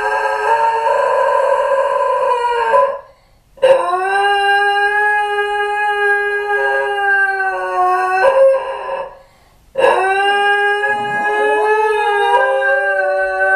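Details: A pair of Basenji dogs left alone at home howl, missing their owner, recorded by a hidden camera. Three long, steady, rich-toned howling bouts overlap, each broken by a brief silence.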